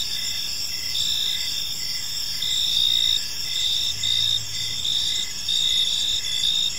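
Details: Gentle evening cricket chorus in a quiet park, layered high trilling notes pulsing steadily in short repeated bursts, loudness swelling and fading slightly, a brief low hum in the background.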